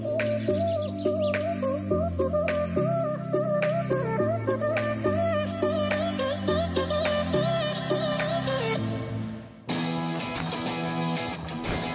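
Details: Melodic instrumental music with flute-like lines over a steady low bass; no animal sound is heard.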